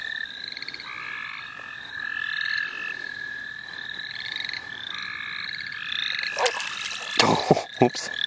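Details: Frogs in the St. Olaf College Natural Lands, where they were being caught for fun; overlapping pulsed croaks in layered harmonic bands form a steady chorus, giving way near the end to loud rustling and handling noise.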